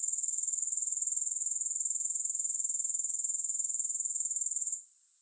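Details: Grasshoppers heard without music: a steady, very high-pitched rapid pulsing trill that continues evenly, then stops abruptly just before the end, leaving faint hiss.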